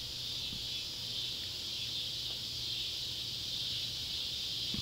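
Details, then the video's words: At sunset on July 31, 2013, beside an old tobacco barn in Ballard County, Kentucky, Neotibicen pruinosus and Neotibicen tibicen cicadas give a sustained, shrill, buzzing drone that gently wavers in loudness, with a faint low hum behind. "Kentucky barn with sunset light and cicada sounds"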